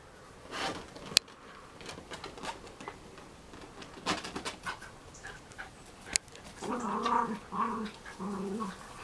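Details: Schnauzer at play indoors, with scattered clicks and thumps of movement, then a run of short, tonal, growly whines pulsing about twice a second near the end.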